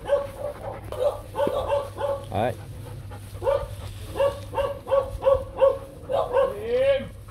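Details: Nano, a young male Rottweiler breeding dog from a Vietnamese kennel, due to be paired with the German-imported female Zora Kummelsee in 2024. Repeated short, clipped barks come about every third of a second, mixed with human speech.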